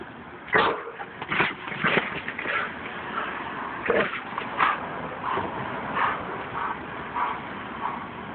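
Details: Protective female German Shepherd, two years old, raising the alarm at a woman gathering recyclables; a run of loud, harsh barks early on, then softer barks spaced by a second or so, with background rustle.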